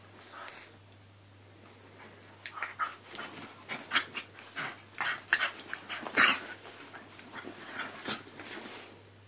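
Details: A Staffordshire Bull Terrier and a Jack Russell Terrier at play indoors, giving rapid bursts of rough grumbling growls and snorts in quick clusters, with scuffles and a few sharp knocks between them.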